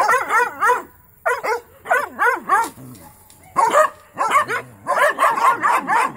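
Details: Mountain Cur pups in a training session bay and yip at a young raccoon caught in a trap; short clustered bursts of shrill, bending barks alternate with gaps, several dogs calling at once.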